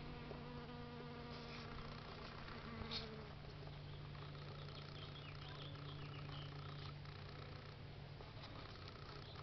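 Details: Honey bees being moved by beekeepers, giving a steady low droning hum with stacked overtones throughout, plus brief higher buzzy whines drifting past as individual bees fly close.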